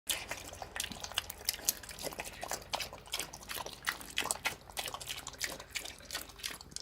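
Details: A hungry domestic pig eating slop slurps and smacks wetly in quick, sloppy bursts.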